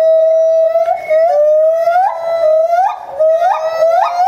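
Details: Bornean white-bearded gibbon at Higashiyama Zoo and Botanical Gardens, January 2011, crying hard while jumping around; sustained clear tones with repeated upward-swooping notes about every half second, rich and siren-like.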